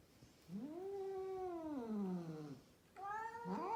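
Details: Female cat, one of many rescued cats kept in Mumbai, India, utters a drawn, arching caterwaul that rises, holds, then falls away, followed after a pause by a second rising yowl.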